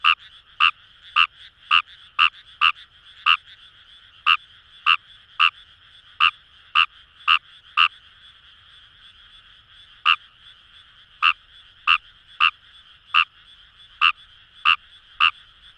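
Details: Fejervarya kawamurai calling in Kamo River paddies, Itoshima, Fukuoka: fast series of short croaks, a pause near the middle, then the series resumes, all over a constant chorus of distant frogs.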